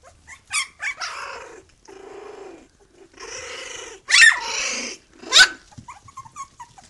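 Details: Khyi-Mi B litter pups, three weeks old, with mother Bhoomi, vocal and loud: drawn-out nasal grumbles and whines alternating with sharp high yelps that rise and fall, several overlapping.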